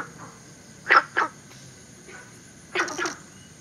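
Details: A brief stretch of Günther's frog, a southern China species introduced into Singapore. Two separate pairs of short, rough barks sound against a thin, continuous high-pitched insect background.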